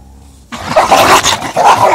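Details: Indian pariah mix dog and German Shepherd fighting after one dog attacked the other; after half a second of quiet, harsh noisy snarling and barking bursts in loudly and continues in rough waves to the end.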